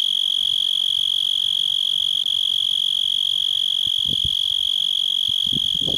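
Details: Steady shrill buzzing of a cicada in a yard, an unbroken high-pitched whine with rapid even pulses, while a few soft low thumps are heard near the end.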